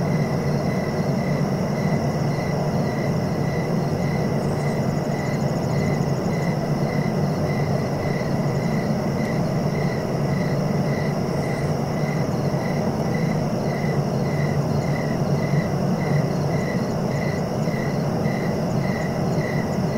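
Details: Evenly spaced cricket chirps continue without pause, close to two pulses each second, accompanied by a fainter high trilling band and a persistent low-pitched rumble like distant traffic.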